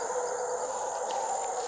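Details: A troop of howler monkeys high in a tree in dense Brazilian forest carries on a very loud, continuous moaning chorus, heard as a steady, wavering drone that rises and falls faintly, with tonal overtones and no clear breaks.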